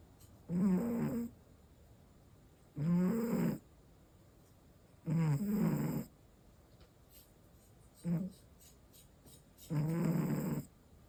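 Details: Male American Shorthair cat, five years old, snoring while asleep on 1 June 2025: five deep, rough snore bursts spaced about two to three seconds apart, one short and clipped, separated by near silence.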